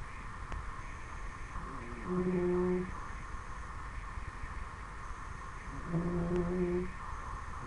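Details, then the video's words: Sleeping Dobermann puppy, ten weeks old, giving two drawn-out, low humming snores, each under a second long and roughly four seconds apart, over a constant indoor hum. "Dobermann Snoring"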